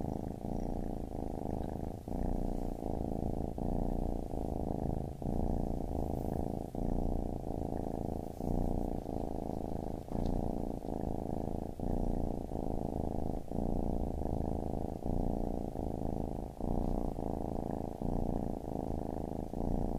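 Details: Continuous deep purr from a baby kitten, pulsing evenly through inhale and exhale cycles roughly every second, with no other notable sounds.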